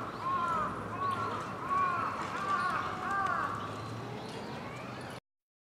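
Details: Japanese macaques at Hamura Zoo, Japan, December 2020, a troop calling noisily at dusk: a chorus of short, arched tonal coos repeating roughly every second above low hum, then abrupt silence.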